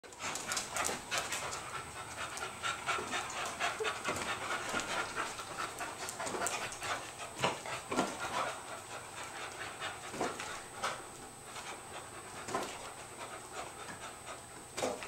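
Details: English Cocker Spaniels having fun on a rainy day in the Pacific Northwest, breathing in rapid, breathy bursts of panting with sharper huffs scattered through, over a steady faint high hiss.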